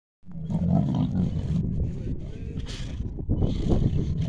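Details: Lions in a pride fighting over food, deep rumbling growls and snarls, dense and continuous with rough bursts throughout.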